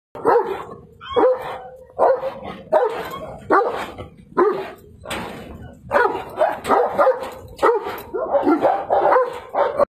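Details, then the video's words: Kangal, a Turkish guardian dog, barking at a tiger across a cage: loud harsh barks repeated roughly once a second in uneven bursts, some doubled, with no other clear sounds. "Kangal VS Tiger Accross the Cage"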